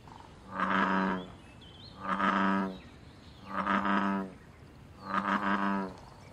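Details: Loud, close American bullfrog in wild pond water, calling for mating and territory: four rich, low, buzzy booming croaks, each nearly a second long, repeated steadily about every one and a half seconds.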